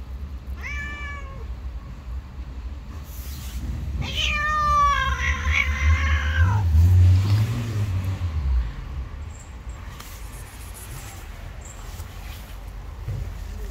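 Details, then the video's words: Stray cats clashing on the street: a short yowl, then a long wavering, sliding howl lasting about two seconds, backed by heavy low-pitched vehicle rumble that swells and fades. "A fight broke out when two cats who hated each other met"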